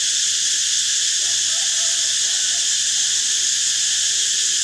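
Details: Cicada buzzing in a flat, shrill, continuous whine with layered high tones, steady for the full clip, while soft low murmuring sounds drift faintly underneath.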